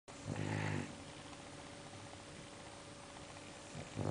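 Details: English bulldog snoring: one harsh, rasping breath lasting under a second, then a steady low electrical hum in a quiet room before a second snore starts.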